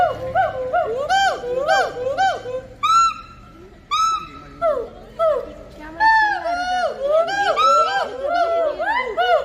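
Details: At Assam State Zoo, Hoolock gibbons give loud, rising and falling whooping hoots, repeated in quick overlapping bursts.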